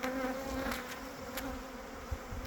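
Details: Steady droning hum of honey bees busily at work in early spring, colonies gathering honey, with a clear low tone and its overtone holding through, plus occasional sharp ticks and a soft thump.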